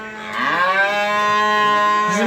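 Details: Simmental calf offered for sale at the Beylagan livestock market, Azerbaijan, on 27 May 2021, giving one loud, long, even moo that rises slightly at the start and holds for two seconds, with little else heard.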